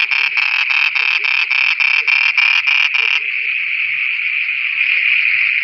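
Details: Frogs singing at night in Pakistan: rapid, even pulsed croaks about three per second for three seconds, then merging into a steady unbroken high drone.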